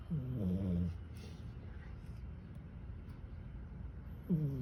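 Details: A tired domestic cat asleep and snoring, said to sound like a human: a low, droning, nasal snore fills the first second, then quiet breathing, and another snore begins near the end.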